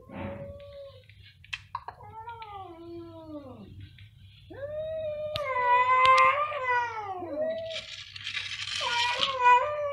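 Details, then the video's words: Two cats yowling together in a loud concert, their long meows overlapping and bending up and down in pitch, growing louder and rougher toward the end, with a background hum and a few clicks. "2 tenor cats in concert | Meowing very loudly"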